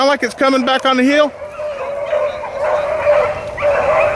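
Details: Hounds, Blackcreeks and Blueticks, running rabbits on April 4, 2013: a quick series of loud, harmonic baying notes in the first second, then a long, steady, level tone with fainter chop-mouthed cries behind it.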